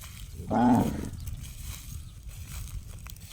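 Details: Cow making a gong-like call, heard as one brief resonant harmonic bellow lasting about half a second, followed by quiet rustling background.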